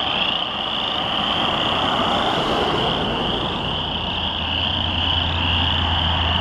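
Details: Many chorus frogs in a rain pond up Brewery hill, Lethbridge, June 22, 2013, said to get louder as vehicles pass. A continuous high-pitched massed trilling, with a low engine drone building toward the end.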